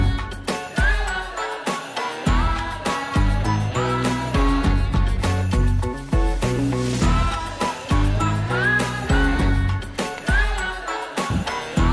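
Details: Jingly instrumental music with bell-like tinkles and a bouncy bass line fills the recording, with no animal sound.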